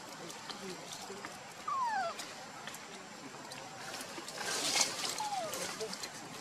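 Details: Monkey calls among the troop where Luna runs carrying baby Luno and Rainbow tries to take him: two clear, whistled, downward-sliding tonal notes several seconds apart, over steady rushing background noise with brief louder hissing bursts.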